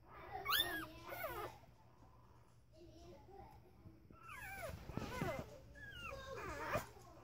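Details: Corgi pups five days old, born November 6, 2015, giving high squealing whimpers that bend up then down, in two clusters separated by a quieter pause with soft murmurs and faint rustling.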